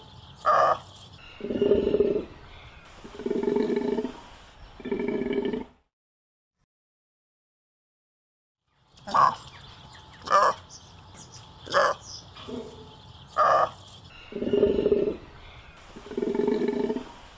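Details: Golden takin producing a series of short, hoarse bellows, then a silent gap, followed by sharper, harsher bursts and more low moaning calls at irregular intervals.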